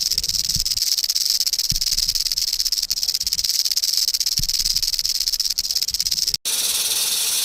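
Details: Venomous rattlesnake (cascavel) rattling as a warning against predators: a fast, dry, continuous buzz, with occasional soft low thumps underneath and a brief gap before the buzzing resumes.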